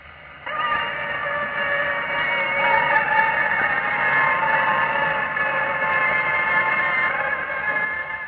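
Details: About 25 male Anopheles malaria mosquitoes buzz together in a steady, whining drone, responding a few seconds after a played female mating call; 1945 recording.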